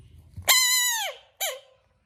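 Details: American bullfrog. An American bullfrog lets out a high, piercing scream, held steady for most of a second before sagging in pitch. A brief second cry follows, rising then dropping quickly.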